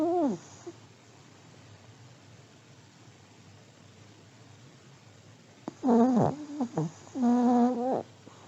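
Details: Snoring of an elderly Pomeranian dog asleep indoors: a short droning snore at the start, then a long hush, then a cluster of wavering, nasal, tonal snores and one steady longer one.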